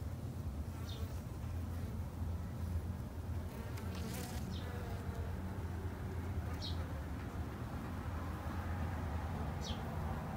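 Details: Garden-kept Japanese honey bees hum in a thick, even low buzz throughout. Short, high, falling bird chirps break in now and then, roughly every few seconds.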